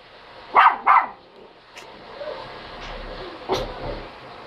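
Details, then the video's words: Dog barking twice in rapid succession, bright and sharp, followed by a few softer, fainter barks and a later single bark, against a constant low hum of background noise. "Look I can Bark"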